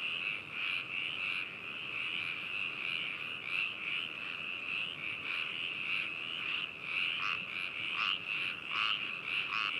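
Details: Spring frog chorus from Hakushu, Hokuto, Yamanashi, Japan, 4 May 2018, binaural recording: constant high trilling from many frogs, with louder pulsed rattling bursts breaking through more often in the second half.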